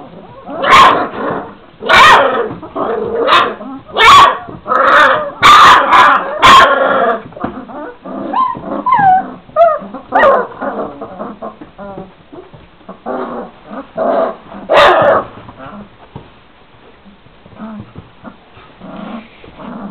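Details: Šarplaninac puppies, 26 days old, from a litter of three males and five females, calling together: a rapid run of short sharp yips and barks for about seven seconds, then looser whines and squeals, fading into soft whimpers.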